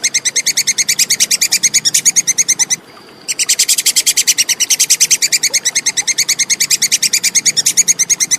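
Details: Plantain squirrel (tupai kekes), a clear recording used as tutor material for songbirds: a rapid run of sharp, high clicking chatter notes, about six per second, broken by one short pause near the middle.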